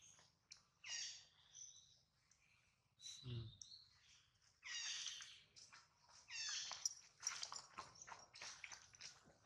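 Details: Baby monkey Adler crying while held in the hands of a small monkey, missing his mother and hungry; shrill, harmonic squeals rise and fall in irregular bursts, several drawn-out wails separated by short pauses and faint rustling.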